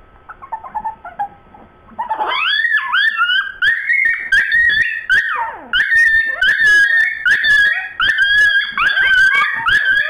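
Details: Dogs Sue Ellen and Siv, in a bone conversation that degenerates, trade long yodelling whines and howls indoors. The sustained, wavering calls bend up and down, with clicks and thumps between them and faint quiet vocal sounds at the start.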